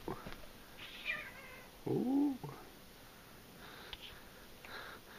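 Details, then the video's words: Brother and sister house cats Dash and Violet run around play fighting indoors. A clear, arching meow lasts about half a second amid light thumps and rustling from their wrestling match. "The Cats Play Fighting"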